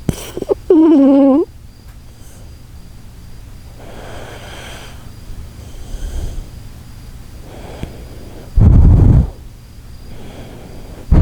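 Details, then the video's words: Koharu, a sleeping Shiba Inu, snores in slow, breathy cycles, with a short tonal, horn-like whine near the start and a loud, low rasping snore late in the clip. "柴犬小春 10:07タイタニック出航のいびき"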